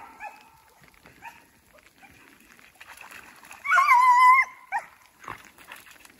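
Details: Beagles Koblers Running Whiskey River (Rio) and his sister Ripley chasing a snowshoe hare through woods in fresh snow with sleet turning to rain; one long, loud, wavering bay rings out for under a second, framed by short fainter yelps.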